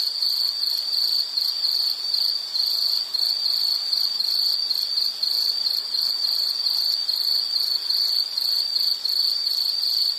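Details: Insect chirping for relaxation and sleep: a dense, high-pitched pulsing trill in quick bursts, steady and unbroken for the whole stretch, with faint higher overtones and no other animals or voices.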